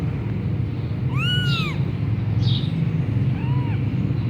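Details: Persian punch-face kitten from Gujranwala mewing: a loud arched meow lasting under a second, then a softer, shorter one, over constant low rumbling noise.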